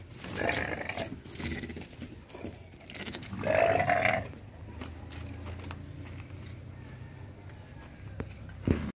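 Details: On a farm during sheep and goat mating, a goat gives a short, strained, nasal bleat near the middle, preceded by rough grunting breaths, with steady background rumble.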